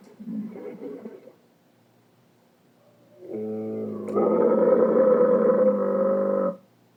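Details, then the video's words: Dromedary camels in the Sahara, 2017, with a short rough grumble, a pause, then a sustained, rich harmonic bellow that swells louder midway and holds for about three seconds before cutting off. "Dromedary camels (Sahara 2017) Sound-effects."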